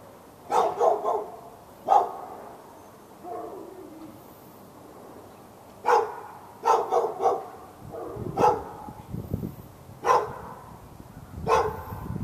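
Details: Persistent backyard barking by a dog in Raleigh, NC, directed at the dog next door on February 15, 2012; irregular clusters of two to four rapid barks with short gaps, plus a low rumbling noise midway.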